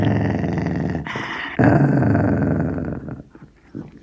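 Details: Indoor recording of a Sealyham Terrier guarding a bone, growling steadily: a harsh rumbling growl, a short break, then a louder sustained growl that fades to quiet near the end.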